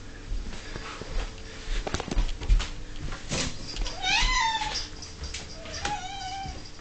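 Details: Ming, an 11-year-old house cat, whines at dinner time: two brief wavering meows in the second half after clattering and bumping sounds from food being prepared.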